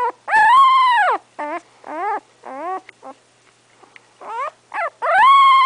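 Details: About three weeks old, the English Setter puppy Remington cries with long, loud, wavering whines at the start and end, broken by shorter falling whimpers and a brief quiet stretch.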